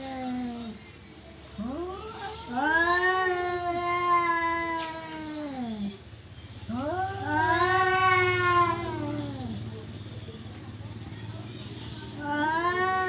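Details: Domestic cat, perhaps in mating mood or ready to fight, yowling in long arched wails, each rising then sagging and dropping off, three main howls separated by short pauses, with faint background rumble.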